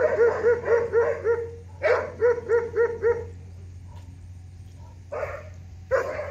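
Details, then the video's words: A dog barks at a bull, with a fast series of evenly spaced tonal yelping barks, a second quick series, a quiet gap, then two louder harsher barks. "A dog barking at an ox"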